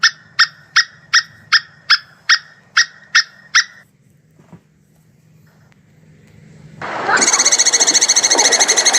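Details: Mating call of a plantain squirrel, known locally as tupai kelapa: a steady series of about ten sharp, bright chips, evenly spaced roughly every third of a second. A pause follows, then a burst of loud, harsh, hissing noise.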